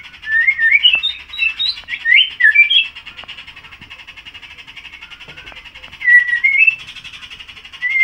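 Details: Young caged White-rumped Shama, under about six months old, tail feathers newly grown, singing often and now in full song (gacor): bursts of clear, rapidly varied whistled phrases with pauses, over a steady pulsing buzz in the background.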